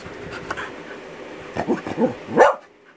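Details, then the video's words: Male Norwegian Buhund "talking" indoors, a few short moaning, grumbling vocal sounds rising in pitch, the last one loudest, then a person's voice replying. "Buddha Aka Odin (Norwegian Buhund)"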